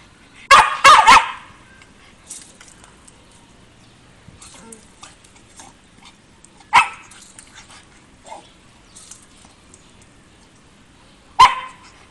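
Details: Shiba Inu, a dog fond of water baths, lets out a rapid burst of three barks, then goes mostly quiet with faint rustling, adding single sharp barks several seconds apart.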